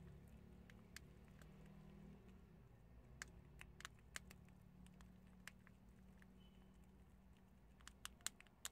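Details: Prairie dogs gnawing and biting chickpeas. Irregular brittle clicks and small cracks, denser toward the end, with a soft low hum behind.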